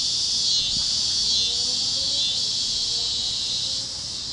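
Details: Over Kansas fields at sunset, cicadas produce an intense, shrill continuous buzz that fades slightly at the end, with faint wavering tones and a soft click in the background.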